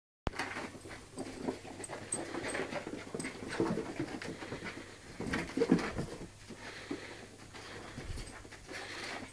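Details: West Highland White Terrier puppy play-fighting indoors with a tabby cat: quick soft panting and scuffling, with a few faint squeaks scattered through.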